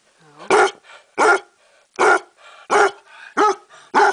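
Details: Indoor basset hound delivers six deep, hoarse barks in steady succession, roughly one every 0.7 seconds, with short gasping breaths between them.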